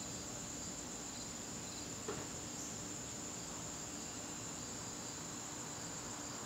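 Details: Crickets in a garden on a September evening: a steady, unbroken high-pitched trill held at one pitch throughout, over a faint low hum and a single soft knock near the middle.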